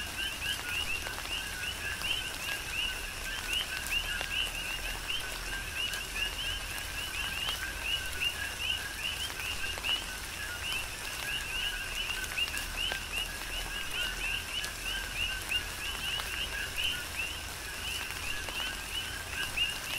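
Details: Rainy night-style chorus of coqui frogs on Hawaii's Big Island, dozens of short whistled two-note chirps overlapping without pause, set against constant gentle rain and occasional sharp drips.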